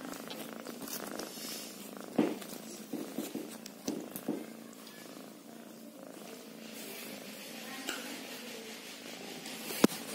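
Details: Kitten purr, a soft rhythmic rumble running throughout, broken by several louder thumps and taps, with faint voices in the background.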